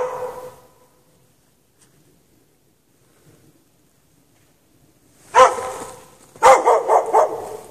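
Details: A dog chained out in snow overnight without shelter barks; a faint tail of sound, a long quiet spell, then a sharp bark followed by a fast run of several barks.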